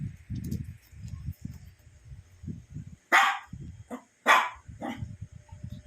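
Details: Shih Tzu pet dog at playtime indoors, sleepy but with a visitor, giving two loud sharp barks about a second apart, with a softer yelp between and low room rumble throughout.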